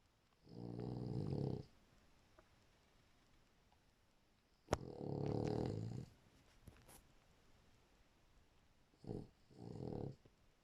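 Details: Snoring from a sleeping French Bulldog in a small room, with deep rumbling breaths lasting one to one and a half seconds, repeated every few seconds, the last one broken into two short bursts.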